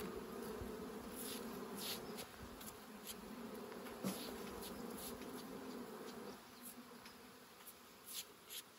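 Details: Bees during a honey harvest, a steady low buzzing hum with a drone and overtone layered beneath scattered clicks and clatter, a hive being worked as the honey is taken.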